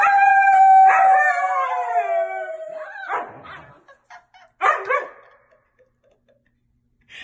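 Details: Husky giving one long, slowly falling howl lasting nearly three seconds, followed by short rough grumbling bursts and then silence, from a compilation of funny pet moments.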